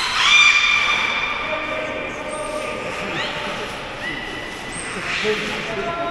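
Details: Captive beluga at Port of Nagoya Public Aquarium giving thin, high whistles that glide and waver, several overlapping tones with short upward sweeps near the middle and a steady squeal toward the end, in a reverberant indoor space.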